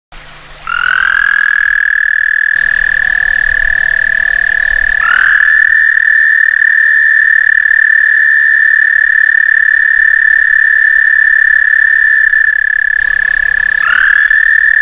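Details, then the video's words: A frog calling from a back stoop in summer, a mating call: a loud, sustained high trill that rises briefly at the start of each long phrase, with phrases running several seconds and separated by short gaps. "Frog mating call"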